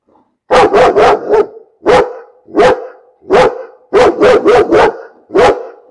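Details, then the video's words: Dog barking steadily for six seconds. Sharp barks come singly and in clusters of two to four, roughly every half second to second, all at similar loudness. No background sound. "Bellender Hund - Hunde bellen"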